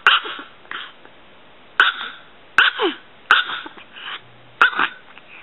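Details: Tiny six-year-old Chihuahua bitch named Pulga, under 3 pounds, producing bright piercing yaps in groups of one or two, spaced about a second apart, with a faint low hum beneath.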